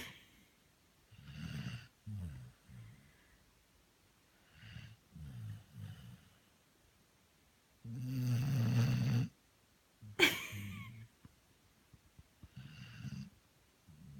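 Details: Asleep, the Labrador Merry snores irregularly: soft low rumbles and short snorts, one long loud rasping snore midway, then a sharp click and quieter breaths resuming.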